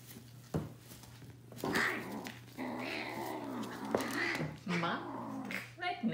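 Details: Roughly 12-week-old kitten, one of a shelter litter from North Alabama, growling fiercely while guarding his favorite yellow toy; low rumbling growls with a rising yowl, over a person's speech and a steady indoor hum.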